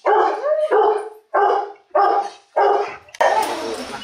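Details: Rottweiler pair mating at the Gervi kennel in Hoàng Mai, Hanoi, Vietnam. Five drawn-out, harmonic whining yelps, each about half a second long with short gaps between them, followed by a sudden burst of broad rustling noise.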